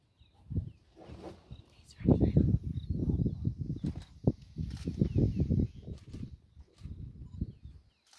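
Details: Wild cheetah in the Sabi Sand Reserve, South Africa, giving a low, throbbing purr of rapid pulses that grows louder midway, with faint bird chirps behind.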